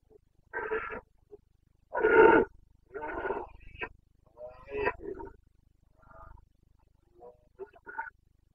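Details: Boncănit of a Carpathian stag during the September rut in Bucovina: a series of roars and grunting bellows of varied length, with the loudest near the start, then growing fainter and choppier and ending in short, broken calls.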